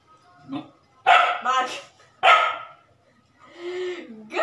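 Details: Labrador Retriever puppy barking on command during trick training: a soft whimper, then two loud, harsh barks in quick succession and a third about a second later, ending with a drawn-out, low, whiny vocal sound.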